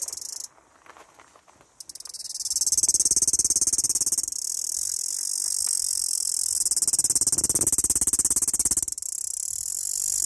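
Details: Cicada mating call: a loud, steady high-pitched buzz that rises in from near-silence after about two seconds, holds with fine rapid pulsing, dips briefly near nine seconds, then resumes.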